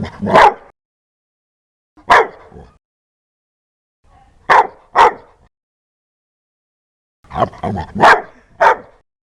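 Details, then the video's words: Dog giving loud, aggressive barks: one bark, another two seconds later, a close pair, then a tight cluster of four rough barks near the end. "Tiếng chó sủa kinh hoàng, to"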